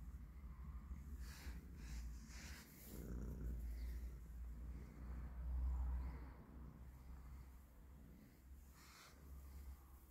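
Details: Colorful street-living stray cat wanting to be petted, purring as a steady low rumble that swells in the middle and fades, with brushing handling noises and faint background sounds.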